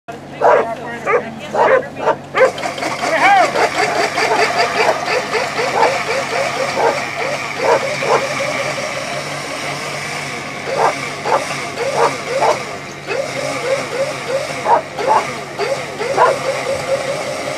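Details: Afghan Hound barking at the MAHA AKC lure coursing Open 1 finals, November 30, 2019; excited, high, yelping barks come in quick bursts throughout, over steady crowd murmur and scattered voices.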